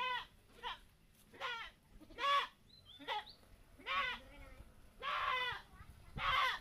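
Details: Goats calling during a bath given to keep them healthy and plump; loud quavering bleats repeat roughly every second, with a faint high chirp between calls and quiet background.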